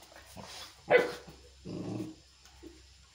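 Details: A Chippiparai dog (Canis lupus familiaris), an Indian native breed, shows aggression: a sharp aggressive bark followed by a lower, rough, drawn-out bark.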